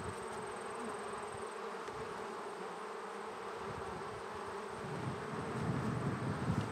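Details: Honey bees inside a split beehive, recorded by an action camera placed between two hive bodies; a steady, dense buzzing hum with a strong low drone and broad hiss, growing slightly louder toward the end.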